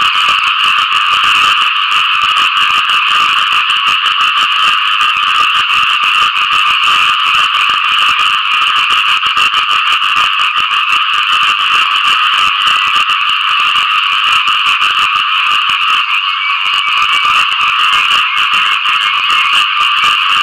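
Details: Frogs croaking in search of mates after rain, a loud unbroken chorus of buzzy, pulsing calls that holds steady for the whole stretch, with a brief slight dip near the end.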